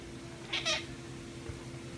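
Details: A male Egyptian Mau gives a brief, high, chirping meow of two quick notes while happy after catching a rat.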